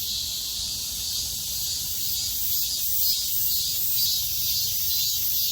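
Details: Cicadas in full midsummer chorus: a continuous, dense, high-pitched buzzing hiss with a faint rhythmic pulsing, steady in loudness throughout, with no other animals or voices audible.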